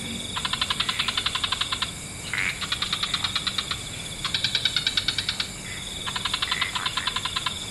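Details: Frogs calling in a wetland at dusk. Four bursts of rapid, rattling pulsed trills, each about a second and a half long, with a short rising note between bursts and a steady high hiss underneath.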